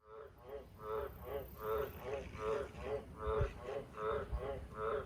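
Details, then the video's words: Wild Australian green tree frog (Litoria caerulea) around the house and farm sheds at night, giving very loud croaks: about eleven harsh, nasal pulses in five seconds, each a rich buzzy stack, over a steady low rumble. "Australian Green Tree Frog Call Wild Very Loud Croaking Sound"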